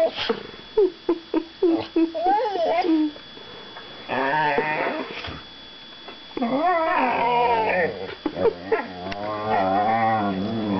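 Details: Two young whippets, Mojo and Finnegan, mouth wrestling in play: a run of short sharp yips opens, then long, wavering, harmonic grumbling growls and whiny moans rising and falling, with brief pauses between bouts.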